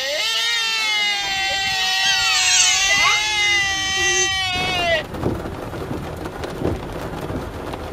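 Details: Sika deer at Nara, Japan, giving one long, steady, bleating harmonic call lasting about four seconds, which stops abruptly and leaves faint scattered knocks and outdoor noise.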